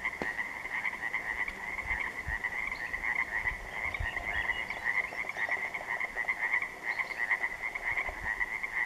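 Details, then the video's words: A dense chorus of Pacific tree frogs (Pacific chorus frogs) at dark on an interior lake, 3 June 2014, with many overlapping high, raspy calls forming a steady trilling wall of sound. "The Sounds Of Pacific Tree Frogs At Dark, On An Interior Lake"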